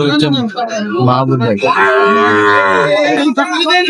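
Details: Sahiwal bull calves offered for sale as trading opens at Ambari cattle market, Dinajpur, Bangladesh, on 9 June 2025; a long, low, drawn-out moo swells midway through, with men talking and bargaining before and after it.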